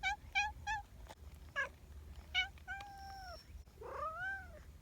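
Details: Friendly community cats meowing: a run of short, evenly spaced harmonic mews, then longer drawn-out meows, one bending down and another rising and falling, over a low steady background rumble.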